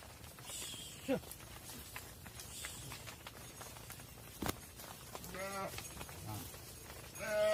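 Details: Cattle on a farm, mothers heading into the barn with calves left outside; two shorter moos late in the clip, the last cut off, amid rustling, a sharp knock and low background rumble.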